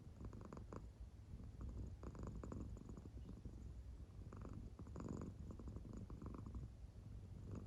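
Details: Steady low purring of an American Shorthair cat sleeping deeply with no sign of waking, punctuated by repeated short throbbing pulses across the whole stretch.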